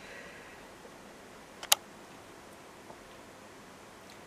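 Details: Quiet indoor hiss is broken by a single sharp click near the middle and a few faint ticks, with no bird or other animal voice heard.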